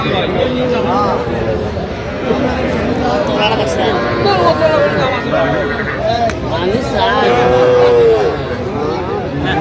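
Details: At a Jamalpur cattle market in Bangladesh, 25 October 2025, where small bull and heifer calves are traded: drawn-out, slightly falling moos open and close the stretch, with shorter calls between, over steady human talk and market bustle.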